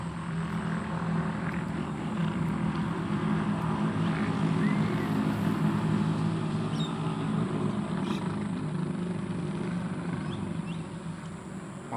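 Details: A steady low mechanical drone, like a vehicle or helicopter engine, fills the recording. No distinct animal calls stand out.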